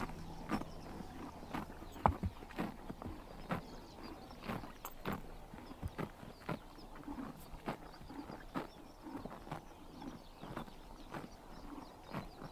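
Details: Morning grazing by horses in Mongolian summer sun: crisp, evenly spaced tearing bites roughly every half second to second, one louder snap near two seconds, against a quiet outdoor backdrop.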